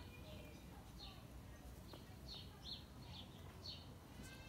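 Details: Peppermint, a pet guinea pig, greeting with a series of short, high, downward-sliding squeaks, about eight of them in irregular bursts, fairly soft over a steady low background hum.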